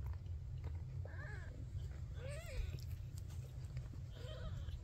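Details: Maine Coon kitten producing three soft, wavering meows spaced about a second apart, quieter and hoarser than usual, partly buried in a continuous low-pitched hum.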